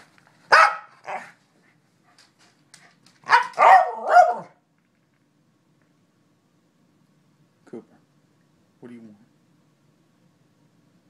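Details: Corgi, a male pet dog, barking in reply to its owner's questions: two sharp barks, then a burst of three rapid harsh barks, followed by quiet with faint human voice near the end.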